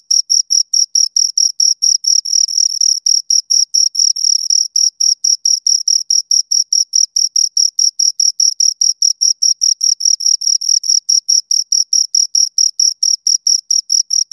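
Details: Continuous chirping from two crickets recorded close by, a long run of rapid high-pitched pulses repeating several times a second, very regular, with brief moments where chirps blur into a sustained trill; no other sounds.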